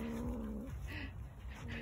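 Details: A domestic cat growling in a way likened to a motorcycle, a low, steady, droning rumble with a held tone that breaks off and resumes in short stretches, with faint household background.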